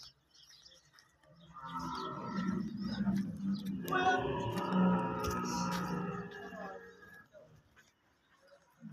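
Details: Camel, described as a huge animal, screaming: a long, rough, gurgling bellow that swells over about five seconds with a harsh, broad tone, rising in strength midway before fading, with some faint background voices.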